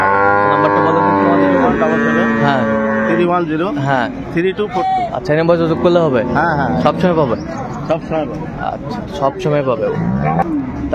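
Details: Cattle at Ambari Haat livestock market, Dinajpur, where improved-breed dairy cows and calves are sold, 10/2/25: a long, steady, low moo of about two seconds opens, then overlapping voices of people bargaining fill the market.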